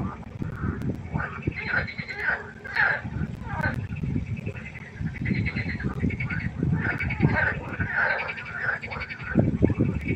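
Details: Frogs croaking at night by a pond: clusters of nasal, rattling croaks repeated in bursts, partly masked by heavy low rumbling and a background hum.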